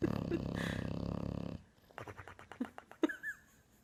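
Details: Bulldog snoring with a steady, rough, buzzing rattle for about one and a half seconds, followed by a run of short snuffling snorts and a brief whistled squeak.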